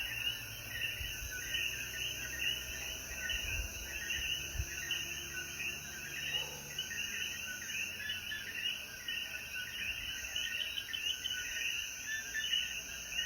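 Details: After rain at sunset in the Jayuya mountains, Puerto Rico, many coquíes call at once, their overlapping chirps forming a continuous shimmering chorus over constant shrill insect tones, with a few soft low thumps early on.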